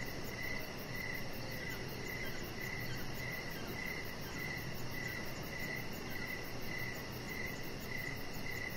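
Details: Crickets chirping outdoors in the evening beside a deck where a chihuahua puppy named Rocket lies; short pulsed chirps repeat roughly every half second over steady broadband background hiss, with another faint high insect trill running throughout.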